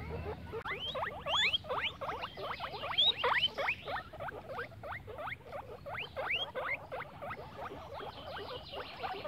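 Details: Guinea pigs playing in grass, giving rapid rising squeaky chirps, several each second, with steady overlapping calls and a faint low background rumble.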